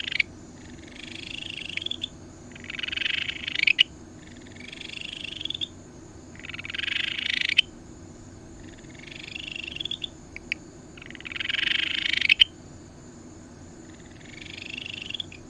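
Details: Ryukyu Kajika frog, a tree frog of the Tokara Islands, Amami and Okinawa islands and the most common frog in Amami, giving seven high, buzzy pulsed trills about every two seconds, each swelling in loudness, over a steady low hum.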